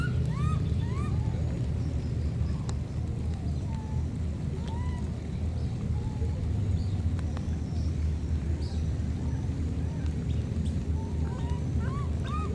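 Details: A pair of flood-separated wild baby monkeys exchange short upswept squeaky cries, a few at the start and a cluster near the end, spaced by quiet gaps. A dense rumbling background persists throughout.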